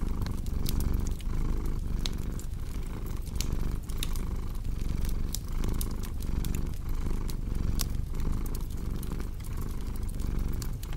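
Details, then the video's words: Domestic cat purring steadily, a deep low rumble pulsing in breath cycles roughly every half second, set against a cozy crackling fireplace with sharp pops and snaps throughout. "Purring Cat with Cozy Crackling Fireplace Sound"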